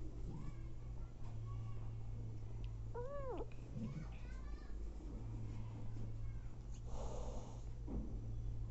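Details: Mama cat nursing and feeding hungry abandoned kittens; one clear arched mew midway, followed by softer squeaks, some rustling and a constant low electrical hum.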